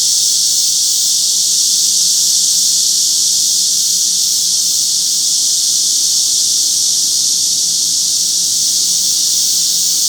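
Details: Wild cicadas and katydid-like wart-biters sing together to let others know who they are, in a Seoul park on a July 2025 summer morning. A continuous, piercing, high-pitched hiss stays level and loud for ten seconds.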